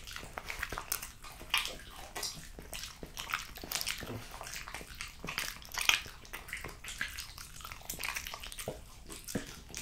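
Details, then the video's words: Female French Bulldog Jessica working through a plate of raw lamb cutlets, beef schnitzel and BBQ pulled pork, producing bright, crackling bites and moist licking smacks that come steadily and irregularly throughout. "French Bulldog Eating Raw Lamb Cutlets, Beef Schnitzel & BBQ Pulled Pork"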